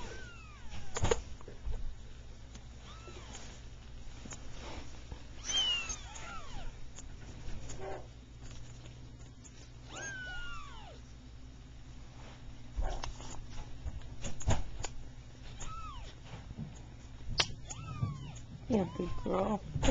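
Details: Three Persian kittens at three weeks old, two red-and-white and one cream-and-white, beginning to play and meow; scattered arching high meows recur every few seconds amid soft handling thumps and low room rumble.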